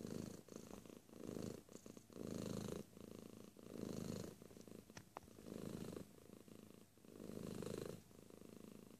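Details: Domestic cat purring close up, a low rumbling purr swelling in long bursts about every one and a half seconds, with softer pulsing in between and a few faint clicks.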